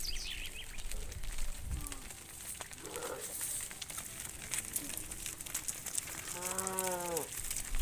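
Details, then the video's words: Tame cows from a herd of hundreds head back to the farm pen in the evening; after soft rustling, one short harmonic moo swells and falls near the end, with faint bird chirps overhead. "Hundreds of tame cows return to the farm pen in the evening, funny cow sounds"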